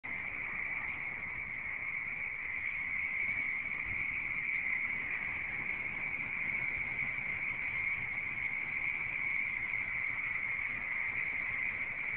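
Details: Many frogs call at once in a swamp near the Redwood City Airport, California, in early February 2011, recorded on a mobile phone: a dense, steady, high trilling chorus that never pauses.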